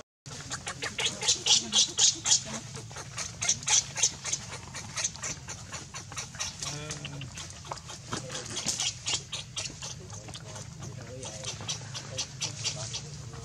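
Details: Baby monkey named Leo, hungry and crying to beg its mother for milk: rapid, repeated high-pitched squealing cries in quick bursts, strongest in the first few seconds, then carrying on more softly over a low steady hum.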